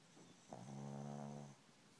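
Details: A sleeping dog snores once, a steady, low, harmonic rumble lasting about one second and fading out at the end, in a quiet indoor room.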